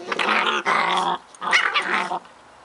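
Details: Playing Scottish Terrier pups give two loud sustained snarling growls, each about half a second long, then fall quiet, recorded in a small indoor room.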